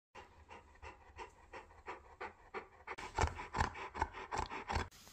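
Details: Bernese Mountain Dog panting in rapid, breathy bursts, roughly two to three per second, becoming louder and harsher in the final two seconds.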